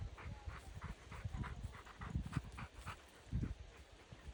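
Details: Rottweiler out on a walk, panting: steady breathy huffs about twice a second, each a short broadband puff, over low outdoor background rumble.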